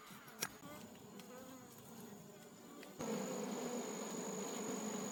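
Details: Wild honey bee colony in a forest, disturbed during a wild honey harvest: a steady droning hum of many bees, swelling suddenly louder after three seconds, with a thin high whine running through it.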